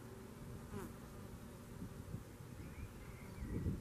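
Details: Red mason bees, solitary bees, around garden nesting boxes at a home in Garboldisham, South Norfolk: a low, steady droning buzz that swells and fades, with faint higher chirps in the background.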